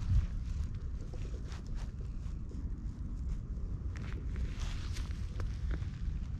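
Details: Ginger tabby cat met in a park, purring at high volume while being stroked, recorded up close on a GoPro HERO8; a steady, dense low rumble fills the clip with faint rustling and handling noise above it.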